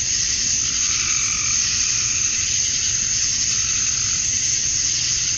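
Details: Georgia, USA, on a summer evening at dusk: male cicadas chirping for females form a seamless, piercing buzz that never breaks, its upper band swelling slightly midway, with no birds or voices heard.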